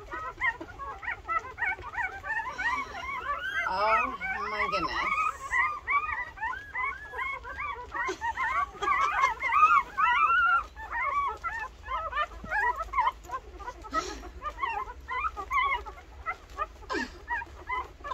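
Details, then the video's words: Thirteen two-week-old Rottweiler puppies nursing, a dense chorus of high, squeaky whimpers and chirping squeals overlapping rapidly throughout, with soft suckling noises and a faint low hum beneath. "2 week old Rottweiler puppies nursing... 13 puppies"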